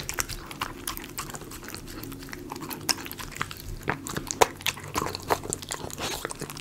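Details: A Miniature Schnauzer chews chicken pot pie dog food. Soft, scattered bites and moist chewing ticks come at an uneven pace over a low, steady background hum.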